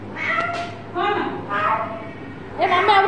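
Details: Domestic cat at play, giving four harmonic meows, some short and some drawn out, spread across three seconds, with light background music.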